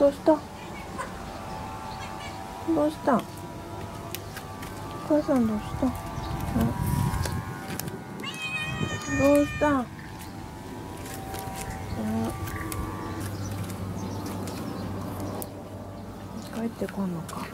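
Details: Stray mother cat, one of a feral family settled at a home, calling the woman when she needs something; repeated short harmonic meows spaced every few seconds, with household noise and faint background hum.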